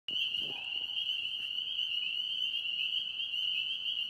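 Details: Frogs singing in a pond in Tennessee: a dense, unbroken high-pitched trilling chorus holds one steady shrill band throughout, with a brief lower sound near the start.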